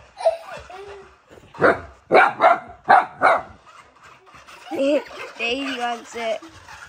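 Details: Indoors, the new husky puppy Humphrey, filmed two days after arriving, barks at a remote control car that baby Daisy wants: five loud, sharp barks close together, with a woman's speech and baby noises around them.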